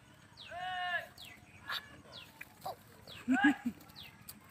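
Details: Young goat kid that keeps returning to a boy who chases it away; one drawn-out, wavering bleat sounds early, followed later by a cluster of shorter, lower bleats against faint background noise.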